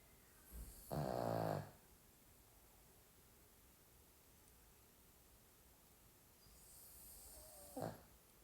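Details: Pomeranian dog asleep, giving one loud, coarse, buzzing snore near the start, then a long quiet stretch of faint hiss before a softer, brief snort-like breath at the end.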